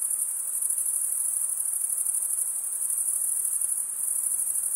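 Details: Crickets, chirping made by males rubbing one wing's toothed vein against the other, form a dense, unbroken high-pitched trill that holds steady throughout, with faint hiss beneath and no other sounds.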